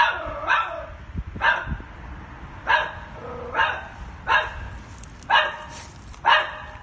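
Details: Terrified one-year-old female chihuahua trapped 10ft underground in a manhole in woods near Kansas City, Missouri, USA, on a Sunday afternoon; sharp, high yipping barks repeat roughly once a second, seven in all, with a man's calm voice nearby.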